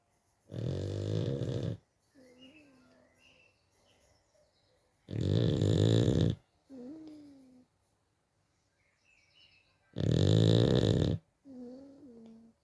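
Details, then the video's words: Bulldog snoring: three loud, rasping, low rattling breaths about every five seconds, each followed by a softer whistling, wavering nasal tone as the air goes back out. "bulldog snoring"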